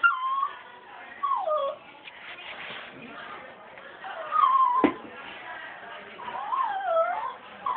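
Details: Several puppies whining: high, wavering whimpers that rise and fall, in short bursts with brief pauses, one sharp click near the middle.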